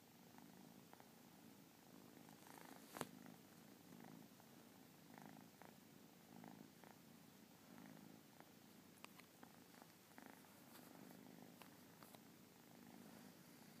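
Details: Continuous gentle purring from a Persian kitten, a low throaty buzz rising and falling in regular breathing cycles, with one sharp tap near the start and scattered small clicks later.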